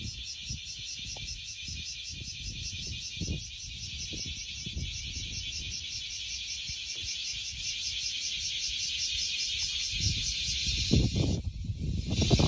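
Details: In summer in Japan, a dense, shrill cicada chorus rings without a break, its buzzing pulsed rapidly like a fine rattle, over low rumbling wind or handling noise that swells near the end.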